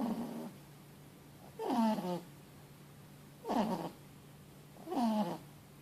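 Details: Mochi, a 4-month-old Boston Terrier x French Bulldog puppy, snores loudly while sleeping after a long day: three nasal, tonal snore bursts with a whistly, wavering edge, about every 1.7 seconds, over a steady low hum.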